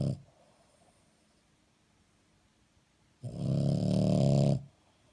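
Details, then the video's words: {'caption': 'French Bulldog asleep, snoring: a short snore tail opens, then near-silence, then one loud, deep, rattling snore of about a second and a half before it fades.'} "Snoring French Bulldog"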